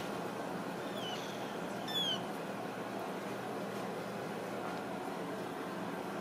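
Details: Ragdoll kittens raised in a home cattery in central Kansas, kept without cages; two brief, thin, high mews near the start, the second louder and sliding downward, over a steady fan-like indoor hum.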